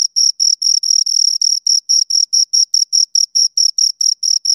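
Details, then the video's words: Pair of crickets giving rapid, shrill chirps in quick succession, some pulses running together into longer bursts, against an otherwise silent background. "Two Crickets Chirp Sounds"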